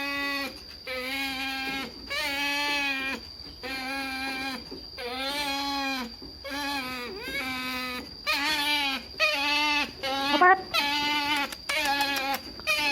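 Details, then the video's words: Pet otter excited over salmon at feeding time, giving a series of drawn-out, whining harmonic squeals, each about a second long with short gaps, some wavering and rising at the end; a steady high electronic tone runs underneath. "Otter Excited about Salmon Cheat Day - Otter's Unique Way of Eating - Otters Making Strange Noises"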